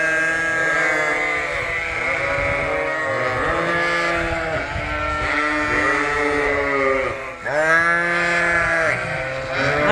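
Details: A flock of sheep on a farm, September 5, 2022, bleating loudly and insistently in the barn, overlapping wavering baas, screaming for grain at feeding time.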